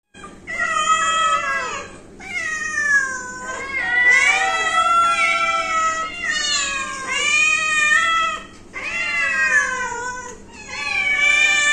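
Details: Household pet cat meowing steadily indoors: about five long, drawn-out meows, each rising then sagging in pitch with rich overtones, separated by brief breaths, with no other sounds.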